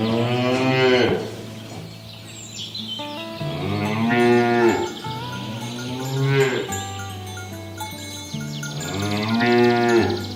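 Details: : Cattle herd being driven toward the pen on a village farm, pushing through a rice-field ditch in green countryside; several long, wavering moos arrive about every two to three seconds over steady ringing tones in the background.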